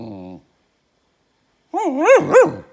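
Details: Male Goldendoodle puppy, a talkative dog, vocalizing to get attention: a short low rumbling growl, a pause, then a loud wavering yodel-like whine-bark that rises and falls twice.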